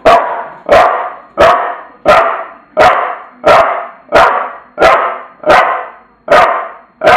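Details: Tula, a bulldog, barks in a steady series of sharp, loud barks, one about every 0.7 seconds, with nothing else audible around them.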